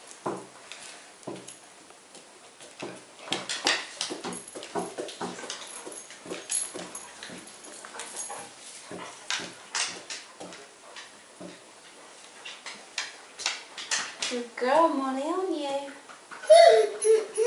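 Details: Pug puppy Audrey Rose, eight weeks old, at her first meeting with the household dogs Molly and Knarley indoors; short high whimpers and yelps near the end follow many soft taps and scuffles.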